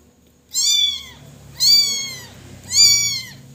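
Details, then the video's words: Baby cat crying in three strong, harmonic-rich meows spaced roughly a second apart, each arching slightly downward; quiet room behind. "Cute Baby Cat Cries"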